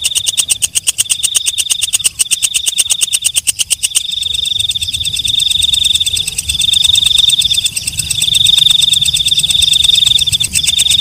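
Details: Walang kecek, a katydid, singing: a burst of rapid, evenly spaced dry clicks for about four seconds, then a continuous high, shimmering buzzy trill that swells and fades slightly. Nothing else is audible.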